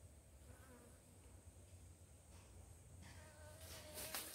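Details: Asian honey bee (Apis cerana), a honey-producing species farmed by simple beekeeping, droning in flight with a wavering, low hum that rises and falls over a steady background hiss, growing louder toward the end.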